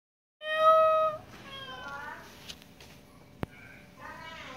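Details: Domestic cat giving a loud, clear meow at the start, a steady harmonic-rich cry lasting under a second, followed by quieter mews, a sharp click and faint talking in the background.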